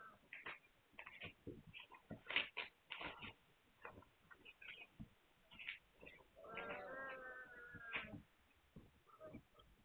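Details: Hungarian Vizsla puppies, recorded 9 March 2021. A steady stream of short clicks and scratchy squeaks gives way to a drawn-out, wavering whine, then more brief squeaks and rustling.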